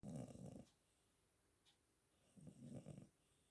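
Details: Sleeping cat snoring: a low, rough, rattling breath lasting about half a second, a quiet pause, then a second raspy snore, heard quietly indoors.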